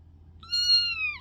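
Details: Kittens: one thin, high-pitched meow lasting under a second, held steady and then dipping slightly at the end, over a low indoor hum.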